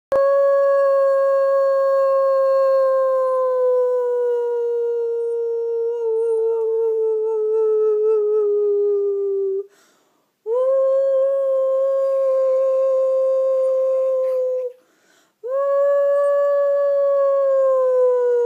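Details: Dog howling in long, steady, tonal notes, each held several seconds and sliding slightly downward, three howls separated by short breaths, rich in clear overtones.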